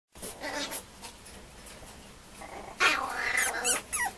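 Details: Two female Mame Shiba puppies at a breeder's, giving a pair of high, wavering whines early on, then a louder run of rising and falling yelping whimpers near the end, with quiet indoor room noise between.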